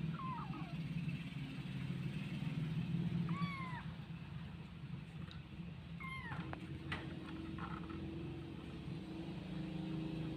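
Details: Kitten named Kripto Cimol struggling to climb onto a swing where it wants to sleep; three clear meows, rising then falling in pitch, spaced about three seconds apart, over a steady low hum and faint clicks.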